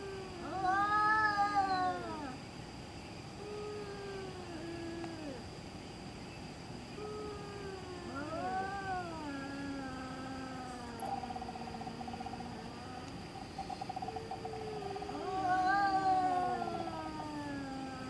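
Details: Cat in the middle of the night giving spooky, mournful yowls: arched, wobbling moans in loose succession, some loud and swelling, others long and sinking, over a faint constant hum.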